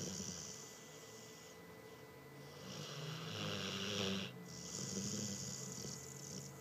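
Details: Morena, a pet dog, snoring loudly while asleep: rough, breathy snores in long drawn-out waves, with raspy hissing inhalations swelling and fading over several seconds in a quiet indoor room.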